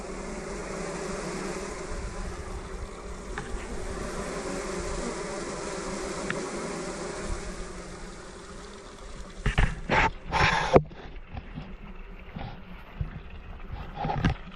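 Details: Honey bees in a full Layens observation hive inside a bee barn, a colony ready for splitting: dense steady buzzing hum for about nine seconds, then knocks, rustling and handling noises over the fainter drone.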